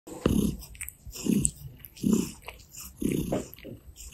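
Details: Gray Russian Blue cat purring while licking a hand and kneading on a person's stomach: low rumbling pulses swelling about once a second, with faint wet licking clicks above.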